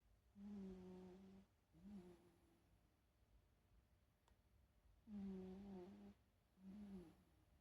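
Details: Shiba Inu dog snoring while asleep: low, steady humming tones with a long breath followed by a shorter one, the pair repeating about every five seconds, with quiet pauses between.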